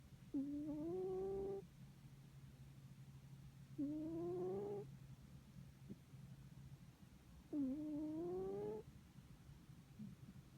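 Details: A pet cat snoring in deep sleep: three tonal, slightly rising, nasal snores, each lasting just over a second, come about every three and a half seconds, with a steady low hum behind.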